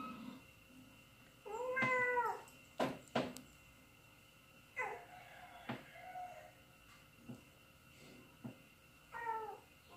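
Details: Cats meowing on TV in a series of clear, harmonic, slightly falling calls, with a few sharp knocks, as two pet cats react to the sound.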